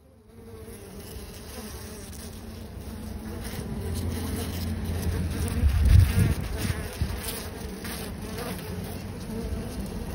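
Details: A hornet on a honeycomb with the queen is attacked by honeybees; its low, droning wing buzz blends into the steady hum of the many bees around it.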